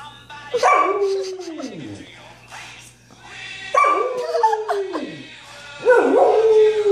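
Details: Samoyed puppy howling along to Queen's "We Will Rock You": three long howls, each starting high and gliding down in a falling wail, separated by short pauses, with faint music underneath.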